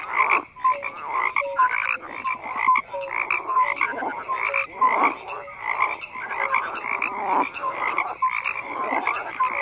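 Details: A chorus of croaking frogs with pulsing bursts every second or so, short tonal whistled notes between rough grating calls, many callers overlapping.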